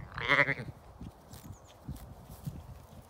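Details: A lamb on a regenerative farm in County Kilkenny, Ireland, let out to play on a bright sunny day, gives a single loud, nasal, half-second bleat, followed by quiet hoof thuds and rustling in the grass.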